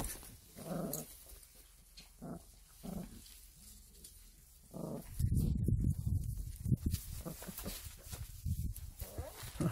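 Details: Pungsan dog mother with nine month-old puppies, one male and eight females; low, muffled growling grunts recur every second or so, then turn into louder rumbling scuffles and movement noise.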